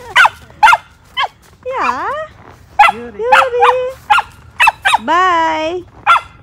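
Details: Four-month-old female Samoyed on a leash during a morning walk in a snowy park: a rapid string of sharp yapping barks mixed with drawn-out whining howls that bend up and down, while a woman talks to her.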